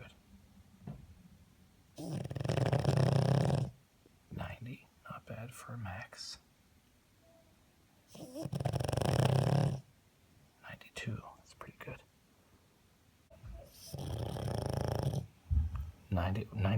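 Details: A sleeping pug snores at about 96 decibels in long, loud, rasping snores of nearly two seconds each, with people talking between; the owner suspects he then suffered a bout of sleep apnea.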